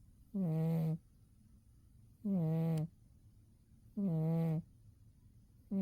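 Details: Dozing Umi the cat in winter produces rhythmic low snores, buzzy tonal hums of about half a second each, returning every couple of seconds over soft background hiss.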